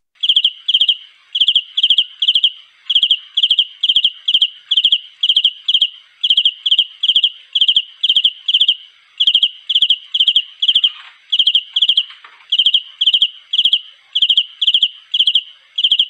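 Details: Cricket calling for a mate: a steady run of high, shrill chirps, each made of three or four quick pulses, repeated about twice a second with short gaps, continuing without other sounds.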